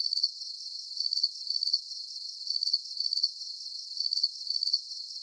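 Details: Night crickets in a relaxing sleep recording, giving bright trilled chirps in clustered bursts with brief quieter gaps between groups, set against a soft high-pitched background buzz.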